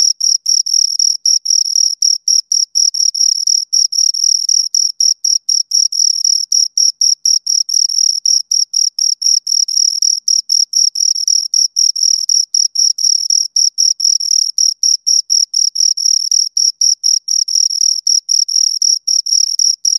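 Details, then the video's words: Continuous chirping from two crickets: rapid high-pitched pulses repeating roughly four times a second, a thin ringing tone with a faint upper overtone, unbroken through the whole stretch against total silence otherwise. "Two Crickets Chirp Sounds"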